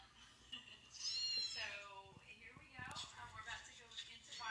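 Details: Kittens giving little cries near a dog that helps raise them; a clear rising-then-falling mew early on, followed by further shorter, high mews and soft scuffling sounds.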